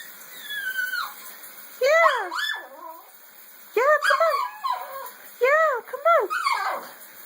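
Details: Female pet dog that hates baths, refusing to come at bath time; arched, whining yelps in bursts about two seconds apart, mixed with a person calling and urging her on.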